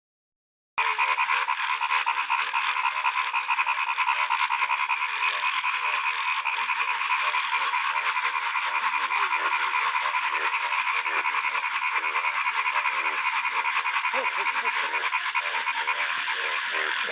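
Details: Frogs croaking in a small lake in a field during the first rain: a dense, continuous chorus of rapid, rattling croaks from many frogs, overlapping steadily with no pauses and a bright, buzzy texture throughout.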